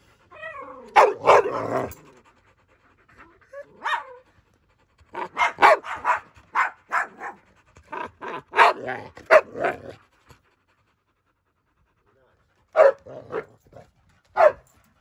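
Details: A German Shepherd wrestling playfully with other dogs, including a Boxer, gives short, sharp barks and rough growls in quick irregular bursts during play.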